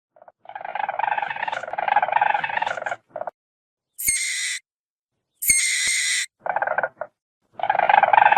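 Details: Weasel: rapid pulsed chittering trills lasting a few seconds, broken by short gaps, then two harsh, hissing high-pitched squeals and a brief burst of trilling before the steady chatter returns.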